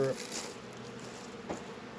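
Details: Honey bees working at a Langstroth and Warre hive apiary in northern Kentucky on a 72-degree February day; a steady low hum of many bees, with a brief sharper sound at the start and a soft thump near the middle.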